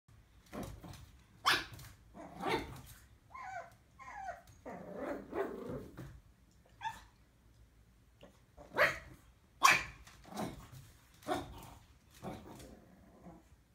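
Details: Pug puppy, a female on her first day home, barking at her own reflection in a mirror indoors; short sharp barks come in scattered bursts with some softer whines between, and background music is faint.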